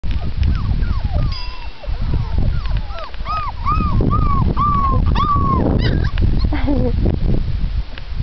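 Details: Four-week-old Labrador Retriever puppies whining together: a run of high, whistled, arching whines, each rising then falling, repeated several times a second over a steady low rumble and shuffling.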